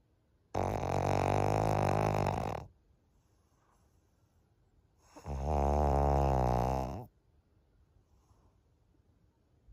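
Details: Senior fawn female pug Maria, thirteen years old, in Japan in June, snoring loudly indoors: two long, deep, rattling breaths of about two seconds each, separated by quiet pauses of roughly three seconds.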